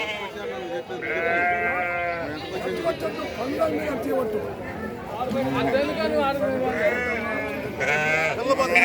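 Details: Sheep at the weekly sheep and goat market in Chillakallu, 8 June 2024: several loud, quavering bleats with rich harmonics, some long and wavering, over constant talking and bargaining from a crowd.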